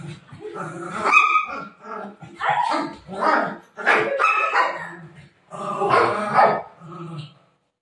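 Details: Golden retriever Buzo, indoors at bedtime, lets out a run of whiny, groaning grumbles in short bursts that rise and fall, while a woman keeps talking to him in Marathi.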